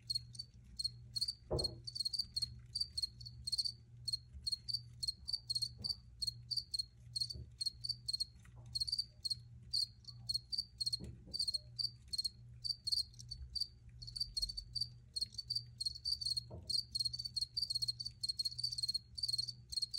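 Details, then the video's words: Crickets chirping in a steady run of short, high, pulsed chirps repeating several times a second, with a few faint knocks and a low background hum. "Free Cricket Sounds for Re-Use or Relaxation"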